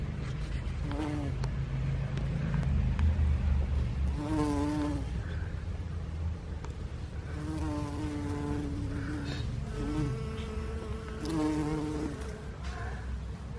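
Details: Common carder bee in spring 2021 at the Lorenzo Rota botanical garden in Bergamo, Italy; low droning buzzes swell and fade in bursts of one to two seconds, separated by pauses, over a faint steady background hum.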